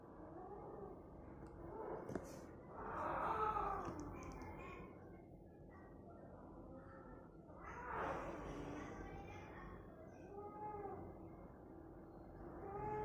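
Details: Cat meowing in a couple of drawn-out, wavering meows with rising then falling pitch, separated by a few quieter mews, over steady low background noise.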